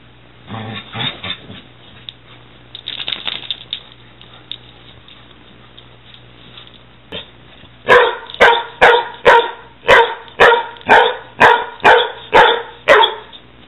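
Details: Six-month-old Weimaraner and six-year-old Catahoula at play; after scuffling and soft growls, a steady run of loud barks begins, about two per second, a dozen in a row.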